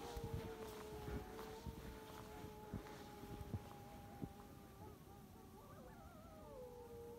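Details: A jackal or wolf, heard during a village walk in snow on a January 2022 evening in Tunceli, Turkey, gives a drawn-out, wavering howl ending in quavering, rising yips; the scream-like note suggests jackal, though the recordist suspects wolf.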